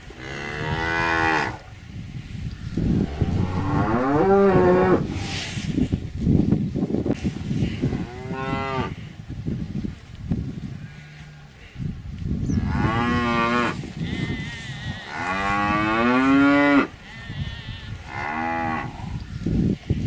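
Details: Several cows mooing over twenty seconds, with about eight bellows of varying length, some sliding up and down in pitch, others short and clipped, over constant low-frequency rumble between calls.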